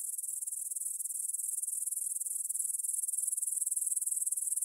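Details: Grasshoppers stridulating in a meadow near Svensky Monastery, Bryansk, Russia, at 9 pm on 6 September 2020, captured on a Tascam DR-44WL in stereo: a dense, high, hissing chirr of rapid, fairly regular pulses, steady throughout, with no other sounds.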